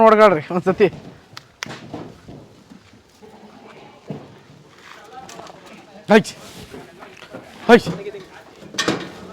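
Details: Beetal goat on a farm in Erenahalli village, Bangalore rural, Karnataka, giving one loud quavering bleat with a strong vibrato, then three shorter bleats later on amid quiet farmyard knocks and distant voices.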